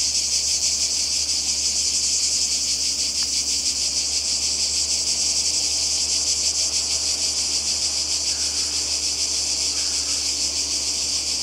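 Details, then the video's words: Croatian seaside cicadas in summer 2020 keep up a continuous shrill, hissing drone, finely pulsed and even throughout, with one brief sharp click about three seconds in. "Kroatien Zikaden und Meer"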